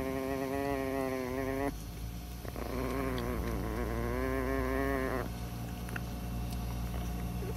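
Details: An angry tiny female Chihuahua growling when someone gets too close; two long, sustained, buzzy growls, the second wavering in pitch, separated by a brief pause, over a low steady hum.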